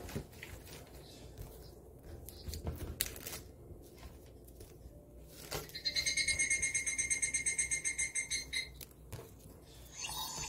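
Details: Japanese cicada call arriving after quiet rustling: a bright, rapidly pulsed buzz with layered overtones, steady for nearly three seconds before stopping abruptly.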